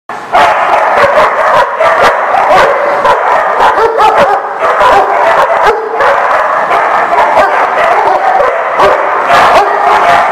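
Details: Dog barking almost without pause: dense, overlapping sharp barks in quick succession for about ten seconds, several at once, with a few higher yips mixed in and no other clear sounds.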